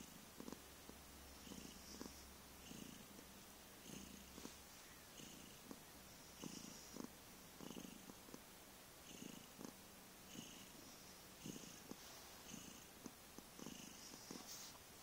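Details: Long stretch of deep purring from the cat Vriendje, recorded 15 November 2011: gravelly rumbling pulses repeat under one a second throughout, fairly even in strength, with a faint steady low hum in the background.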